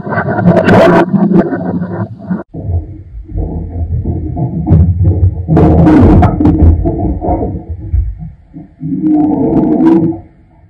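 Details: Domestic cat named Lyekka, caught on a home security camera, producing loud, drawn-out, harmonic yowls and moans that swell and fade over ten seconds, with a brief break near the start and a rising wail toward the end; distorted, clipped recording indoors.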